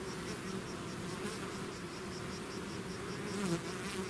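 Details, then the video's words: Bees swarming out of their hive make a continuous low, thick buzzing hum, unbroken and even, with faint high ticking pulses repeating above it. "bees therapy swarm natural buzzing sound"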